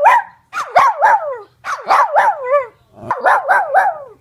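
A Cairn Terrier barks in quick bursts of sharp, high-pitched yaps.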